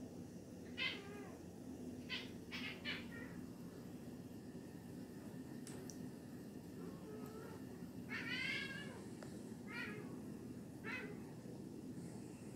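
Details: A Siamese cat that has spotted an insect gives its bug-alert string of short, harmonic meows and chirps, some rising and wavering.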